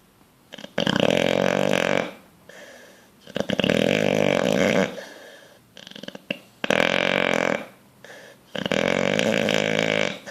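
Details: Sleeping bulldog, dreaming and twitching, snores in long, harsh, buzzing rattles, each lasting over a second, four in a row about every two and a half seconds, with quieter breaths between.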